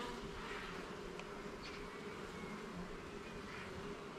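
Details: Garden beehive opened for inspection of its levels and frames, the honey bees producing an even, continuous droning hum that holds steady throughout, with light higher buzzing drifting over it.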